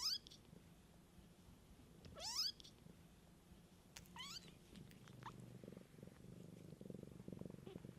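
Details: Kittens cared for by their mother outdoors give several high, rising mews early on, then the mother's deep pulsing purr swells and carries through the final three seconds.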